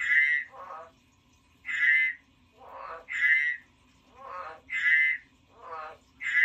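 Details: Pet frog giving paired croaks: a strong, buzzy, higher note, then a softer, lower, rattling grunt, with each pair repeating about every one and a half seconds.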